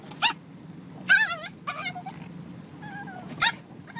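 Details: Dog from a humorous home compilation giving short, high whimpers and yips: a sharp yelp, then wavering whines that rise and fall, with a few more brief cries spaced across four seconds.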